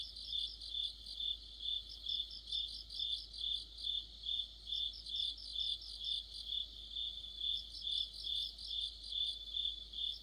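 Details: Insect orchestra of crickets in the middle of autumn, a bright, piercing trill pulsing rhythmically about twice per second, with overlapping chirps from several singers.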